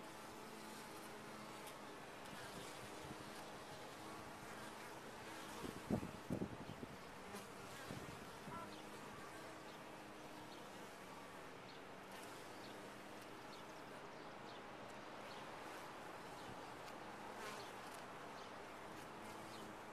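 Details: Honey bees buzzing in a top-bar hive, a continuous layered hum with low tonal bands, broken around the sixth second by a short cluster of knocking thumps.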